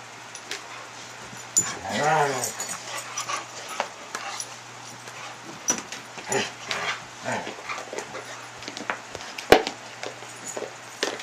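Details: Lea, a pet dog described as a toy hog, playing with toys on 26 July 2011: a drawn-out wavering whine-growl early on, followed by scattered thumps, clicks and a person speaking over a steady low hum.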